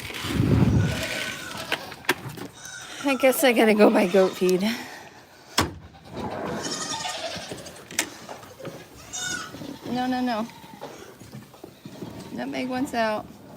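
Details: Domestic goats on a farm bleating in wavering, quavering calls, one long bleat near the middle and two shorter ones toward the end, with people talking between calls and occasional knocks and clatter.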